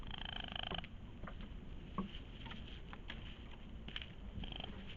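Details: A raccoon (Procyon lotor) gives a small cry, a low, rumbling purr-like churr with a few faint high squeaks at the start.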